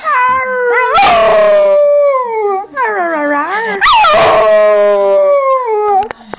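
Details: Singing by a young female springer spaniel: wavering, yodel-like howls that rise and fall, broken by a couple of harsh, noisy yips, with faint background sounds.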